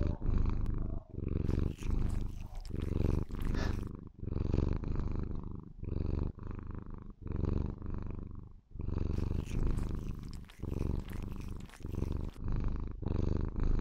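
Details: Lilith, a white Maine Coon kitten, purrs sweetly and loudly as she shows love to her owner; low throbbing purr rises and falls with her breathing, broken by soft rustling and short airy bursts.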